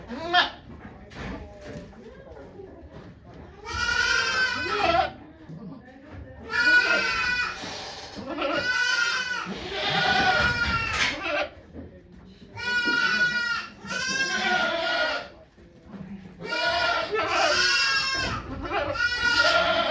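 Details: During the birth of twin kids at Yoshigake Farm, Japan, on 3 May 2023, the goat Okayu bleats again and again: loud, rich, vibrato-laden cries about a second long, repeated every couple of seconds amid people's murmured instructions.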